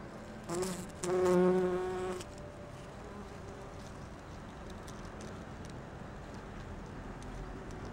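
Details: Bumblebee at rhododendron flowers collecting pollen: a short burst of low, harmonic buzzing lasting under two seconds as it flies close, followed by quiet background hiss.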